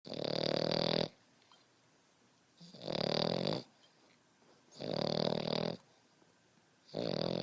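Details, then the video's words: Beau, a 5.5-month-old French Bulldog puppy, snoring heavily like a grown man: loud rasping broadband snores about a second long, returning roughly every two to three seconds with quiet breaths between, indoors. "French Bulldog Snoring"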